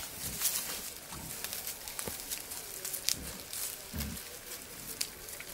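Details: Male wild boar courting a sow in wild nature, giving low, brief grunts spaced roughly a second apart, the strongest near the end. Constant hissy rustle and crackling of vegetation run underneath.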